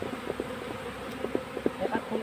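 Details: Honey bees buzzing as a colony is moved into a hive box, a thick low hum with short, pulsing bursts of louder buzzing from individual bees flying close.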